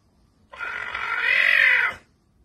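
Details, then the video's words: A captive caracal indoors gives one harsh, tonal growling call lasting about one and a half seconds, with strong harmonics that dip slightly toward the end, in an otherwise quiet room. "Caracal Adolf Hissing and Karr"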